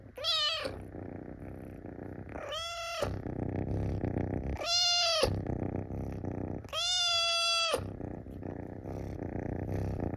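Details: A Munchkin kitten that has climbed onto a person's belly gives four clear, high, drawn-out meows, asking to be petted.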